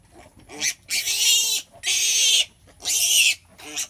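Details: Loud, raspy pig squeals at a sow's delivery: three long harsh shrieks, each nearly a second, with brief grunting squeaks between them.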